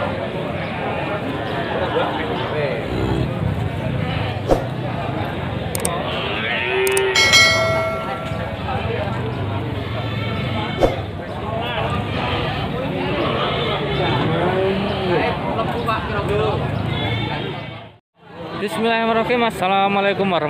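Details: Cattle at the Pasar Wage livestock market in Panggul, Trenggalek, lowing amid a busy crowd; drawn-out moos rise over steady chatter, background music and clapping, with a bright metallic clang and a brief drop to silence near the end.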